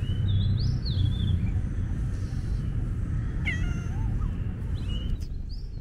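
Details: Calico street cat in a bad mood, full of mischief and attacking: a short meow with stacked harmonics near the middle, plus faint high chirps, over a steady low rumble of outdoor background noise.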